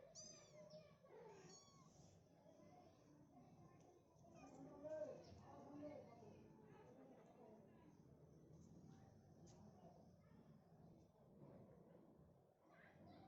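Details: A mother cat gives short, chirping meows, calling again and again to her kitten as it leaves the room for the first time, guiding it back.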